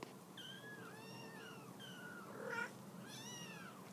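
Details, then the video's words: Mama shelter cat urging her kittens off the couch: a run of thin, high, rising-and-falling kitten-like mews, four or five in a row, over a soft indoor background. "A mama kitty wants her kittens off the couch"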